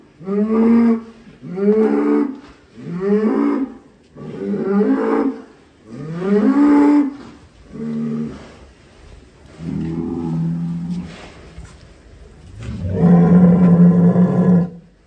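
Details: Jumbo-sized cattle in a barn at a cattle contest give deep, resonant moos in a steady series, roughly one per second at first. The calls then space out, ending in a longer, louder bellow.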